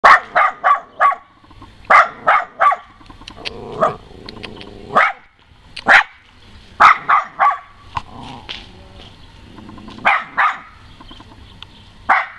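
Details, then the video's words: West Highland White Terrier, a pet dog, giving a voice check on command: sharp barks in quick bursts of three or four, then pauses, repeated through the recording, with faint speech in the background. "west highland white terrier barks"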